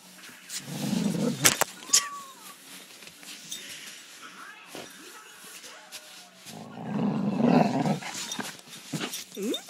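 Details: Basset Hound confronting a vibrating cushion indoors: two bursts of low, rough grumbling growls, one early and one later, with a woman's chatter and sharp clattering knocks in between.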